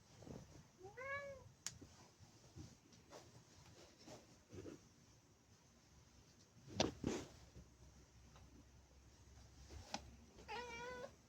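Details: Maine Coon cats watching birds from their favourite indoor window spot; two meows, first a short rising-then-falling chirp-like call, later a wavering, trilled meow near the end, with scattered clicks and soft thumps between.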